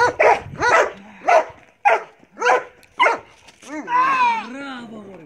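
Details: Belgian Malinois Marley barks six times in bite work training, sharp and harmonic with uneven spacing, then a man speaks Greek praising and instructing over the end.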